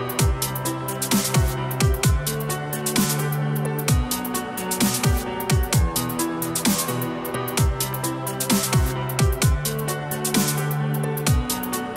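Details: Electronic dance music with heavy bass and drums plays throughout; no animal sound is heard.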